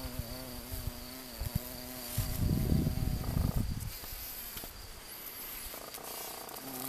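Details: Honey bees at a Romanian apiary on 7 June 2022. A low, steady buzz rich in overtones runs for about two seconds. Loud rushing bumps follow, then fainter buzzing returns near the end over a constant thin high whine.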